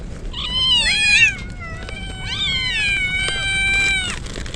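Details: Soaked stray kittens crying loudly in typhoon rain; long, harmonically rich wailing meows, the first rising and wavering, the later ones sustained for over a second, with rain hissing behind.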